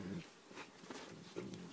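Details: Two 8-month-old puppies raised together, Jager the Rottweiler and Bella the Staffy, playfighting and throwing tantrums on a camping trip; a quiet, low rumbling growl opens the moment and returns briefly near the end, over faint background noise.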